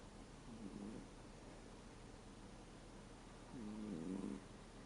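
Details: Thirteen-year-old American Shorthair cat asleep indoors, snoring in a sound that shifts from a 'gu' to a 'pu'; two low, harmonic, rasping breaths about three seconds apart, the second louder, over a quiet background hiss.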